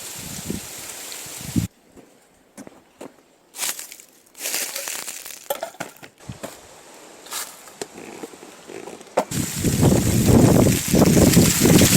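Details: Crunching and rustling of leaves or wood outdoors, with sharp cracks and a burst of louder rustle at the end, and no animal voice heard.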